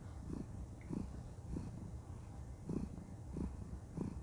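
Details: Female cat content and cuddling, her purr a soft low drone with regular breath-paced pulses, about five in four seconds, in a quiet room.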